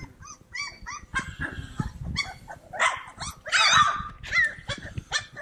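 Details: Several Cane Corso puppies at play, a busy stream of overlapping squeaky yips and yaps, some rising then dropping, louder and denser toward the middle, with scuffling in between.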